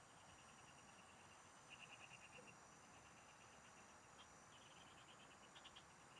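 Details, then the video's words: Frogs singing in the fields, recorded while fishing: quiet trains of rapid pulsed notes, some brighter bursts near the middle and end, over a steady high insect hiss and faint low rumble. "Pikinggan mo Ang MGA huni Ng MGA Palaka SA bukid| Relaxing Frog Singing"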